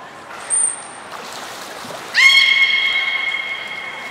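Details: Beluga at Nagoya Port Aquarium during a training session on 16 December 2018, with Gray, Mirai and Niko named: a long steady whistle-like tone with strong overtones starts suddenly, after an earlier short high trainer's whistle.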